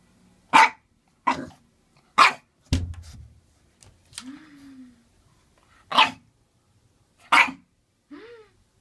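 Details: A Boston Terrier barking for its first time, wanting a bath, gives a string of short, sharp barks with a few soft whines in between.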